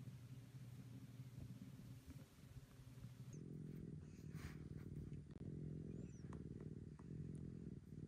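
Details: Maroshiro, a rescued house cat, regains its kitten-like affection in a dedicated upstairs cat room. A soft low purr becomes a louder, pulsing rumble about halfway through, with a few faint thin high squeaks.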